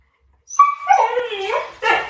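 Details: A Labrador and a Teddy, pet dogs, in a patience contest; a drawn-out, wavering whine slides downward, followed by a brief harsher yelp.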